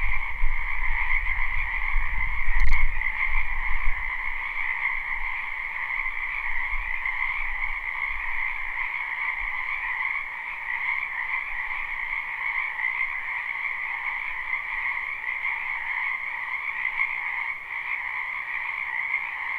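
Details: Live recording of frogs in a spring wetland behind a house: an unbroken chorus of rapid croaking trills in two steady bands, with a brief thump near the start, low rumbling early on, then a calm, even chorus.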